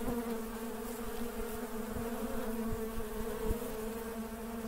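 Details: Honey bees working, heard as a thick, steady hum of many wings with faint wavering tones and a few light knocks.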